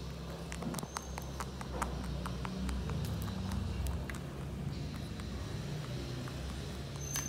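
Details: Mochi, a pet Holland Lop rabbit, chews big hay grass loudly enough to be heard across the room: rapid crisp crunching clicks repeating throughout, over a steady low indoor hum.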